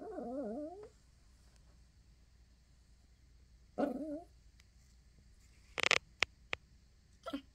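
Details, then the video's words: Small female Yorkshire Terrier indoors crying because she wants a bedside box of tissues to chew: a wavering, high whine at the start, a second shorter whimper near four seconds, then sharp clicks and knocks. "tiny yorkie crying over tissue box"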